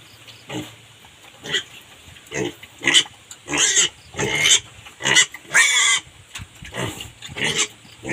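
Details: Three-month-old native pig on a farm in the Philippines, giving a series of short, harsh grunts and squeals at irregular intervals, roughly one every second, with some louder noisy bursts near the middle.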